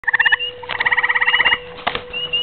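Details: Gray treefrog (Hyla versicolor) calling at night, giving short, rapid, musical trills of fast-pulsed notes.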